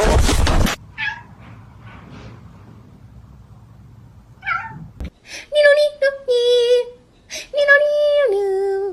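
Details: Talkative domestic cat giving a run of about five clear, tonal meows, some drawn out and dropping at the end, after a burst of noise and quiet indoor murmur.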